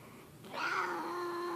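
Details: Leo, a grumpy house cat, lets out a sudden sustained yowl, a steady, low, moaning tone held for about a second after a quiet start.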